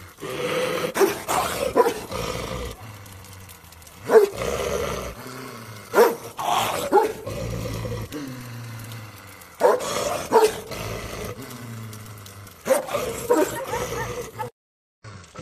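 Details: Shepherd dog giving loud, gruff barks in clusters of two or three, separated by quieter gaps of a few seconds, with low growling rumble between bursts.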